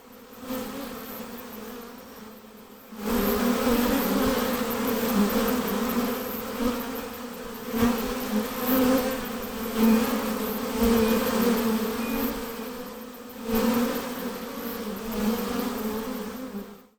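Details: Many western honey bees buzzing near their hive hum together in a continuous low, layered drone that swells and eases as bees fly close by and move away.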